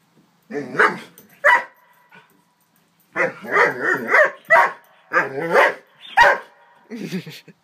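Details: Nine-month-old Doberman, frightened of a toy horse, gives two sharp barks, a pause, then a longer run of wavering, whine-edged barks in uneven bursts, with quiet gaps between.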